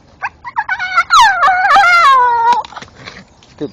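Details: Staffordshire Bull Terrier, a male dog, chewing a tree stump in the dark while vocalizing; a loud drawn-out harmonic whine lasting over a second, wavering then sliding downward, preceded by short yips and followed by chewing sounds.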